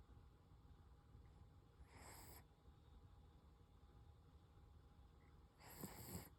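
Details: Toy Poodle named Koro asleep and snoring softly, two hushed, airy snore breaths near the second and fifth seconds over a faint low background hum.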